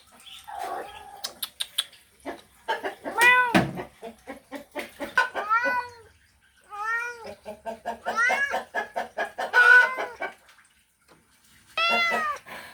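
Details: Male cat calling a female in a mating call, with bursts of arched meows mixed with quick rapid clucking pulses and clicks, some calls overlapping into a busy, chattering stretch before a final meow.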